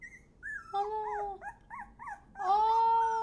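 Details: Dog that seems not to want to go inside, howling: wavering, yodel-like tones rising and falling in pitch, ending in a long sustained howl, with laughter and chatter from people reacting.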